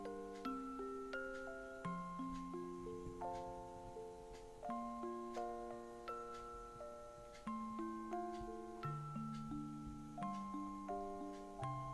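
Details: A gentle glockenspiel lullaby of soft, chiming notes plays quietly indoors, with no animal sound heard.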